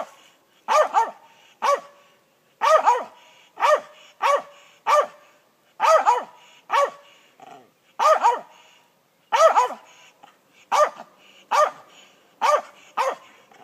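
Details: A squirrel dog trees a gray squirrel in South Georgia, barking steadily: short, sharp, loud barks, often in quick pairs, repeated roughly every half second to one second, with brief pauses; no other clear sounds.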